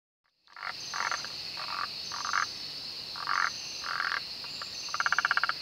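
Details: Malabar gliding frog (Rhacophorus malabaricus) in the Western Ghats during monsoon calls in short, knocking bursts spaced irregularly, the last breaking into a rapid run of clicks, over a high, unbroken insect drone.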